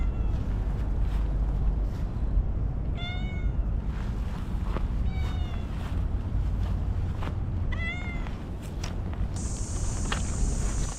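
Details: Chatty stray cat outdoors, possibly at a fishing port, meowing in short harmonic cries at roughly three, five and eight seconds over a steady low rumble of wind or engine noise, with a high electronic tone near the end.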